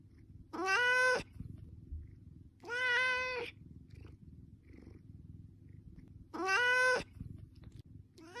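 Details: Asking for food, a domestic cat repeats three long, strong meows spaced about two to three seconds apart, each a sustained tone with many overtones, over a faint low background hum.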